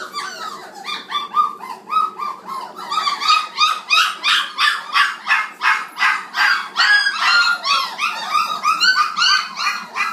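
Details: A noisy litter of 29-day-old black Labrador Retriever puppies at feeding time: a steady stream of shrill squeals and yips, roughly three per second, rising and falling in loudness, several pups overlapping.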